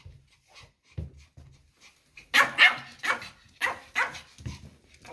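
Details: Indoors, a white Pomeranian pet protests its owners getting ready to go out, giving a rapid run of about eight sharp, high yapping barks after a quieter start, with people talking nearby.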